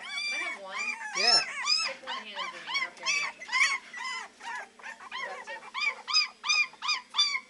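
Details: Shelter-raised Beagle puppies, three weeks old, baying at the Maryland SPCA: high arched yelps repeated steadily, more than two per second, from several pups at once, with a faint low hum beneath.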